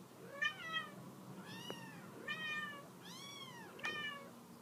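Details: Indoor mother cat calling her kittens to come off the couch; a run of five or six bright harmonic meows, arched and falling, close together, with a light tap between calls.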